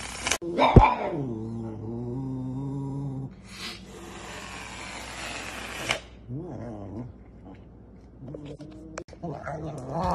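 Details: Serval. A serval makes low, harmonic, moaning calls: a sharp yelp slides into a long sustained tone, then a hoarse hissing passage follows. Shorter arching calls come later, with faint background noise throughout.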